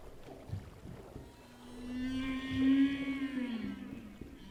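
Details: A humpback whale singing underwater, possibly at night, near Hawaiʻi or Colombia, gives a long, low, moaning tone that swells and slowly bends downward.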